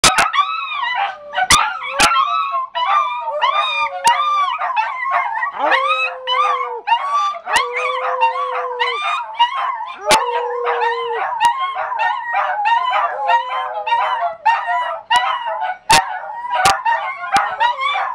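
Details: Three dachshunds and one Scottish terrier howling together indoors in North Lexington, New York; dense overlapping wavering howls and yips fill the whole stretch, with a few sustained lower steady tones and several sharp clicks or knocks.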